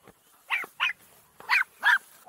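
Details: Farm dogs, described as an unusual mix including dachshund and maremma, playing in a wet, rain-soaked paddock; four short, sharp barks in two pairs, about a second apart, with a faint person's voice before.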